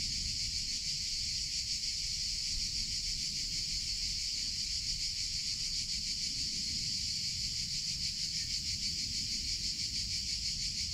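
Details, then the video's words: Continuous buzzing of cicadas in summer, a bright sizzling sound held at even loudness with a quick throbbing texture, low outdoor rumble beneath. "CICADA SOUNDS - Sound Effect of Cicadas in Summer Sounds of Cicada (Chicharra, Campanero)"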